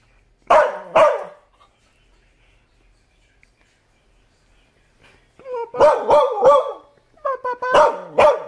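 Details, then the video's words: Dog barking: two sharp barks, a pause of about four seconds, then a rapid burst of five or six loud harsh barks in quick succession. "Barking Bumba"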